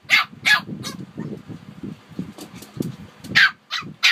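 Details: Two Shih Tzus, Harper and Wuhan, give a few sharp yaps at the start, fall quiet amid a low background rumble, then bark again in short bursts near the end.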